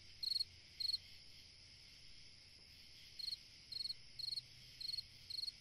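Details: Cricket song from a summer night: two chirps, a pause of about two seconds, then a regular run of five pulsed chirps, all over a faint continuous insect hum.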